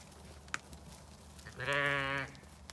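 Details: Lamb let out to play on a sunny day on a regenerative farm in County Kilkenny, Ireland: a single loud, harmonic, slightly wavering bleat lasting under a second, with a sharp click before it over a low farmyard rumble.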